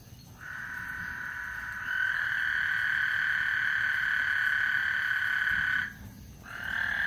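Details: Frog chorus at Lake Houston ahead of a thunderstorm, a continuous buzzing trill that swells louder after two seconds, holds steady, stops near six seconds, then starts again at the end.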